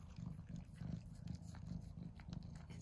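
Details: One of two house cats, Mouse and Remi, eagerly eating tuna; deep pulsing purr in even throbs, with wet chewing and licking clicks layered over it.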